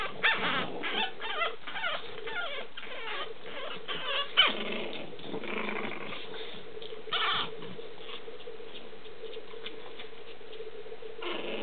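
Boston Terrier puppies whimper and squeak in a steady, overlapping chorus of thin, whiny calls.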